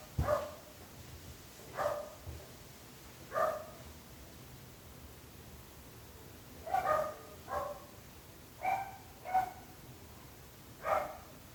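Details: Dog barking in short, sharp, mid-pitched barks, roughly nine across the stretch, some single and some in quick pairs, with quiet pauses between bursts and a faint low hum underneath.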